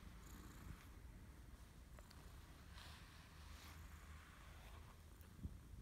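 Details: A male British Shorthair cat being brushed, which he loves, stretching and purring very loudly with pleasure: a low, steady, pulsing rumble under soft scratchy brush strokes.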